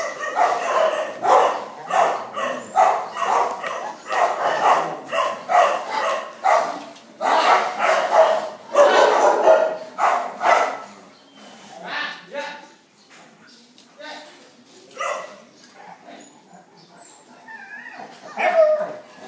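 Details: Phu Quoc Ridgeback barking in quick, sharp, irregular bursts, roughly forty-five per minute, loud for the first eleven seconds, then sparser and quieter barks, with faint voices in the background.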